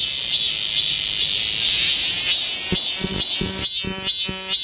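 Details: Cicadas filling the forest of Galsan Park in Seoul during summer: a shrill wavering drone, then a sharp pulsed call breaking in at roughly two strokes per second for the last two seconds.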